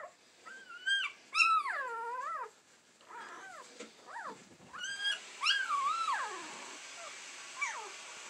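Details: Standard Poodles, an AKC litter possibly from a dam called Bambi, give high, wavering whines that rise and fall in pitch, in bursts every few seconds; possibly recorded April 19, 2020.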